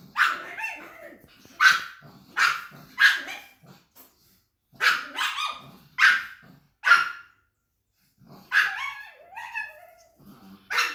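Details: Pug barking in short, sharp, harsh bursts, about a dozen barks in three quick runs separated by brief silences, a few ending in a whiny, wavering yip; no other clear sounds.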